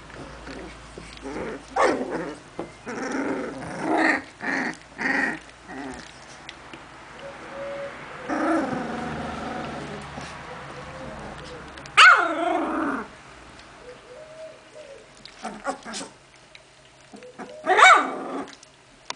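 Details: Genny's puppies, recorded on 14 June 2013, whimper and yelp in quick repeated bursts, with a longer wavering whine midway and two sharp high squeals later, some low growly sounds between.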